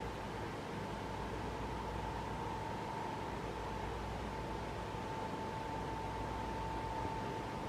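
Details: Constant hiss and fan-like hum with a steady tone running throughout, and no animal voice.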